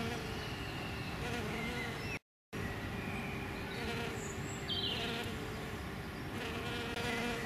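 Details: Hairy-footed flower bees, males and female, visiting Green Alkanet blossoms in springtime: a faint continuous low hum runs throughout under heavy broadband rushing noise, broken by a brief silent gap.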